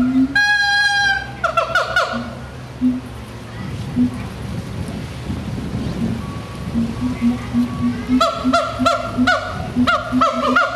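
A siamang gives loud, honking barks over a steady pulse of deep, resonant booms.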